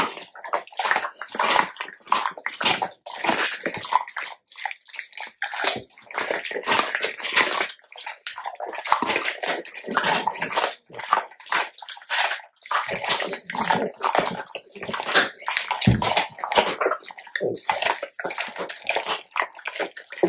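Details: Two male Labrador Retrievers, black Tico and yellow Remi, raw-feeding on large chicken carcasses: crunching and gnawing bone with wet, crackling bites in quick irregular bursts.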